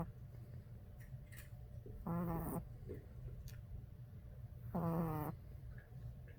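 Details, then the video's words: Sleeping Boston Terrier puppy, tired out, snoring: two drawn-out, nasal, harmonic snorts about half a second each, nearly three seconds apart, over a steady low room hum. "Boston Terrier baby snores/ Puppy snoring"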